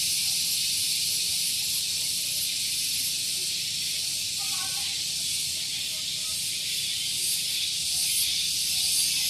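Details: Shrill cicada drone on a morning at Gunung Geulis, Bogor, West Java, Indonesia, near parked vehicles: continuous bright buzzing with a gentle throb, while faint warbling chirps drift in the background midway.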